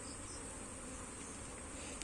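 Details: Honey bees buzzing as comb frames are shifted from one hive box to another; a dense, steady low hum with broad hiss and a constant high whine above, no clear breaks.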